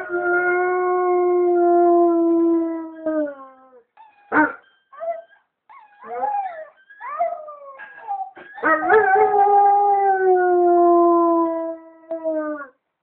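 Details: Loud, rich howling from a male White German Shepherd answering a clip. A long, level opening howl is followed by a broken run of short wavering yelps and whines, then another full sustained howl that fades out.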